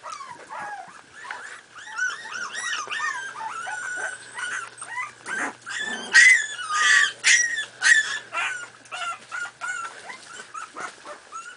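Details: Miniature Pinscher puppies, 4.5 weeks old, playing together: overlapping high, whiny yips and squeals in quick arching bursts, several pups calling at once, growing louder and choppier in the second half.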